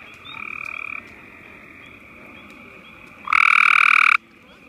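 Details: Gray tree frog spotted in spring at Marshy Point on May 10, 2014, calling to others in the area. Two buzzy trills, a softer one near the start lasting under a second, then a loud, rapid pulsed trill of about one second near the end.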